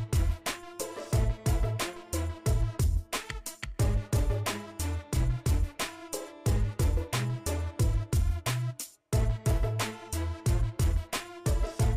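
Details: Rhythmic, danceable music with a steady plucked pulse and deep bass notes repeating throughout, briefly dropping out near nine seconds; nothing from an animal is audible.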